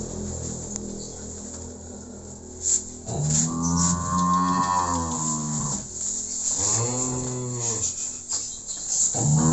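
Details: Cattle of Simmental and Limousin breeds being loaded into a vehicle for shipment to Magelang, Indonesia. Two long, rich, harmonic moos, the first lasting about three seconds and the second shorter, over steady engine-like rumble and faint background noise.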